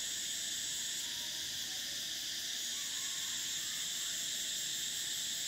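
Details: Cicadas in summer keep up a loud, even, high-pitched buzzing drone. The uppermost whine strengthens after the first second and then runs steadily to the end.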